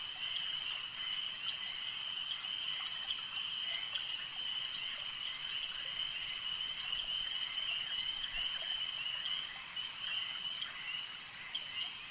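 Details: A lake at night, or at least a lakeside, full of frogs: an unbroken shrill chorus of many callers with scattered short ticks layered on top, holding an even level throughout.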